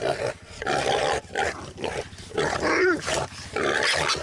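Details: Boar-hunting Jack Russell Terrier producing rough growls and harsh barks in a near-continuous run, with one rising and falling whine-like squeal near the end, outdoors.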